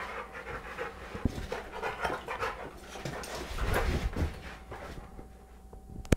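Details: Two dogs play-fighting on a sofa, a 3.5-year-old 100 lb American Bulldog and an 11-month-old 25 lb beagle; heavy rhythmic panting and grunting snorts, with a few thumps and a sharp click at the close.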